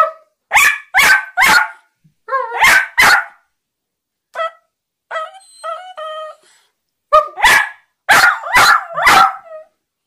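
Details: Teddy, a Westiepoo dog, vocalizing as if trying to tell its owner something: bursts of sharp yappy barks in quick groups, then a softer wavering howl-like yodel in the middle, before more barks.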